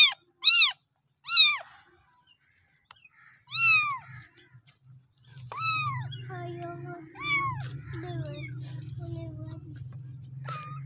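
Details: Kitten asking its mother cat for milk: several high, curved meows in the opening seconds. A quieter stretch follows with softer, lower chattering cat sounds and a steady low rumble.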